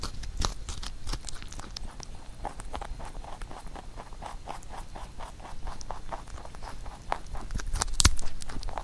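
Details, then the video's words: Pet rabbit eating a carrot songpyeon made for Chuseok, the Korean harvest holiday; rapid crunchy bites and chewing repeat about four times a second, with occasional louder crunches and low thumps. "Rabbit eating sound with Carrot SongPyeon"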